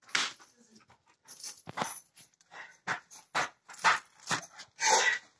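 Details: Five-month-old South African Boerboel puppy on a day out, giving a series of short, harsh, broadband bursts spaced irregularly about half a second to a second apart, some with brief tonal edges, with no other clear sounds.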